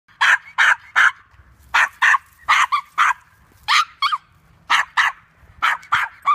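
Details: Male toy poodle chasing squirrels at a park, outdoors: a rapid series of about sixteen sharp, high barks in uneven bursts of two or three, with brief quiet gaps between them.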